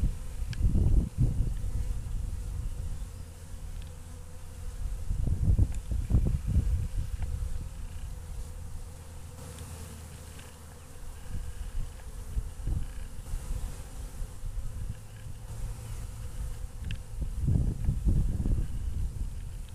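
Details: Honey bees waking up after a long winter, a low, steady droning hum with louder rumbling surges at the start, middle and end of the clip.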